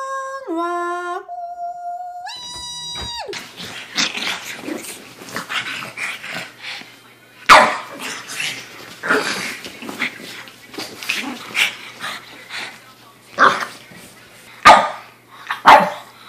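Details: Pug giving scattered short yips and barks indoors, sharp and uneven, after a brief run of stepped musical tones at the start.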